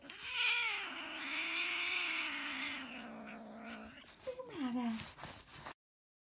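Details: Annoyed hairless Sphynx cat, disturbed by its owner, gives a sustained low guttural moan for about four seconds, then a brief higher whine that slides downward, with a rough, harmonic-rich tone throughout.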